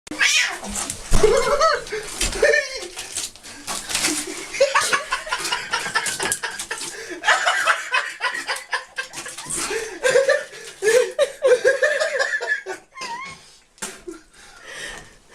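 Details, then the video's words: Domestic cat making funny noises: drawn-out, wavering meows and caterwauls rising and falling in pitch, repeated through the recording, mixed with people laughing and talking. "funny cat noises"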